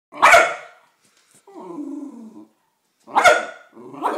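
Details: A West Highland White Terrier gets angry at a birthday card bearing a picture of a Westie. It gives two sharp, harsh barks about three seconds apart, and each is followed by a lower, rumbling, growling grumble.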